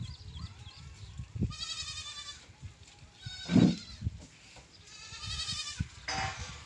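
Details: Goats calling in quick succession: a wavering, strained bleat, then a brief cry overlapped by a loud thud, then two more tremulous bleats toward the end, with scattered clatter throughout.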